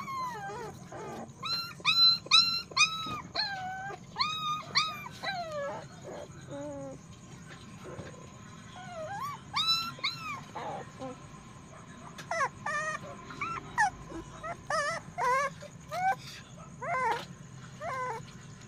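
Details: Puppy giving a long run of high whining yelps and whimpers, rising then falling, in irregular bursts with short pauses, some sliding up sharply; a quiet hum underneath.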